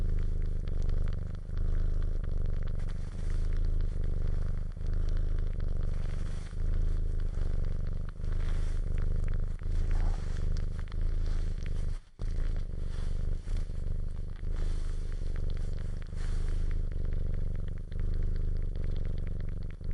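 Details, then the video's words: Long stretch of a cat's low purr, droning rumble with breath-paced dips about every two seconds, a brief silence around twelve seconds in, and scratchy handling noise throughout. "CAT PURRING SOUND EFFECTS"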